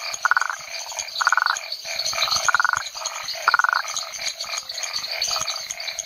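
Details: Pulsed, rattling notes of Rhinella cf. paraguayensis at Hacienda San Sebastián in Bolivia's Chiquitania, given in quick pairs and singles about once a second, with a steady high insect and frog chorus behind.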